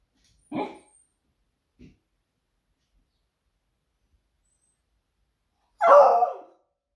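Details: Smudge the Beagle, a female pet waiting indoors for her owner to return, raising the alarm; a short bark and a tiny yip, a long pause, then one loud, harsh bark.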